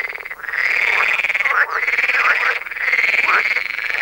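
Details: Pool frogs, several individuals contesting the sound space with territorial calls broken by song; long sustained nasal rasping calls with brief dips and overlapping voices, dense and continuous throughout.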